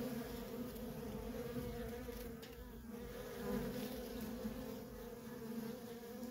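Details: Feral colony of honey bees with constant worker traffic: a thick, unbroken droning hum, fairly even in loudness, its tone wavering slightly across the clip.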